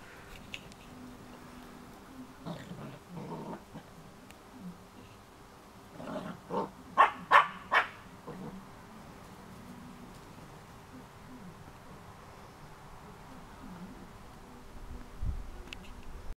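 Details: A Cardigan Welsh Corgi puppy, one of three puppies in a last play session, gives a short run of sharp, yappy barks amid quieter growly sounds.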